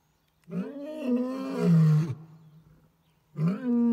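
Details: Crocodile male lions roaring in the morning, Lower Zambezi National Park, Zambia; a long, deep roar swelling over about a second and a half and falling away, then another roar beginning.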